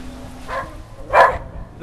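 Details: A whippet barking at the Goodyear blimp flying close overhead, a normally quiet dog set off only by the blimp; two short barks about two-thirds of a second apart, the second louder, with faint background hum.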